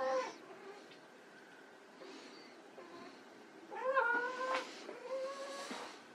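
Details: White Persian kittens playing: a short mew at the start, then a clear, level meow and a second, longer one later, with rustling and scuffling sounds throughout.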